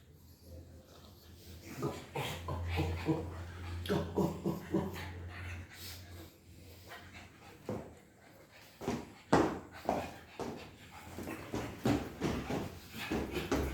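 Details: Playful pug during play, giving short, irregular whiny and grunting vocal bursts of varying pitch, some louder yelps near the end, over a steady low hum in the background.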